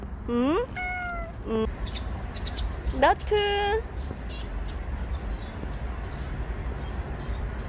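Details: Bolt, a stray cat who stayed with people for seventeen months, gives a few sharp rising meows and one longer level meow in the first four seconds, then faint background noise only.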